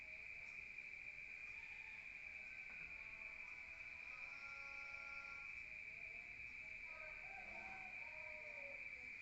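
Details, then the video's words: Crickets calling at night in a rural area, heard from indoors: a steady high-pitched continuous trill, with faint softer tonal sounds drifting in underneath midway and toward the end. "Rural Nature Sound of crickets at night"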